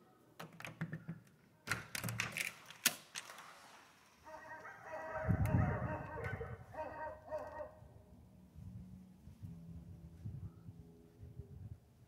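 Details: Several Central Asian Shepherd Dogs howl together in long, wavering, harmonic tones after some knocks and thumps, at sunset on a very windy day.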